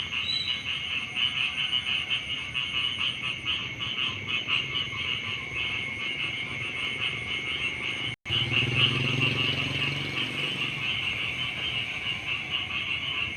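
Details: Frogs chorusing at dawn by rice fields: steady high pulsed trilling, broken by a brief cut in the sound about two-thirds through, after which a low rumbling noise joins the calls.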